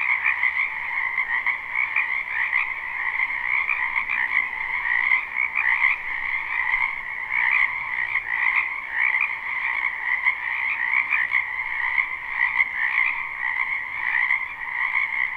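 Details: Frogs gathered in a spring wetland croak all at once in this live, unlooped take, building a thick, even wall of sound in two pitched layers, pulsing gently as individual callers rise and fall over the whole stretch.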